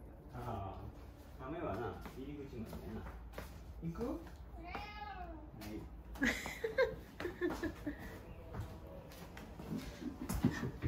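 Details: Pet cat Mame Daifuku calling to the father of the household, inviting him for a walk as a daily habit; one clear drawn-out meow rising then falling midway, with indoor human speech throughout.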